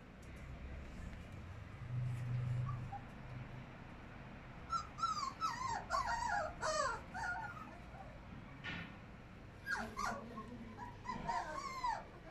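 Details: Siberian Husky puppy giving a run of high, wavering whimpers and whines from about five seconds in, clustered and rising and falling, with a second burst near ten to twelve seconds; low background hum early on.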